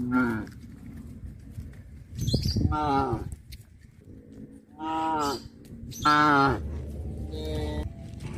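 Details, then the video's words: Several moos from cows on a village farm as the herd returns to the barn in the afternoon, short and mid-pitched, roughly one every one to two seconds, over a steady low hum. "The cattle walk back to the barn in the afternoon - Sound of cows"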